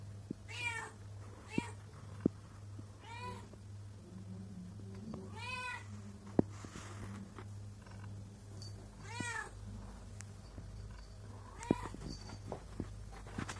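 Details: Pregnant house cat at its owner's feet, meowing and purring as if trying to say something; about six bright, arching meows spaced irregularly every one to three seconds, with small clicks and a constant low hum beneath.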